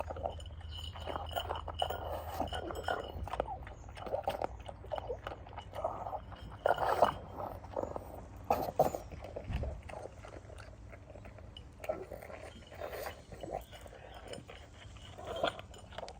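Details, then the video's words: Pangpang the pug eating kibble at lunchtime outdoors on a freezing, frosty day in London: soft irregular crunching and chewing, small clinks and snuffly noises, quiet throughout. "Pangpang the Pug making cute funny dog sounds when eating"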